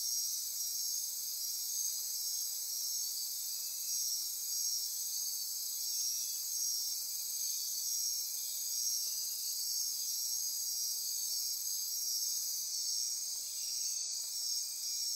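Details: At midnight in Costa Rica's Osa Peninsula rainforest near Corcovado National Park, a thick chorus of insects buzzes and trills at high pitch, with regularly pulsing whistle-like tones and a steady unbroken shimmer.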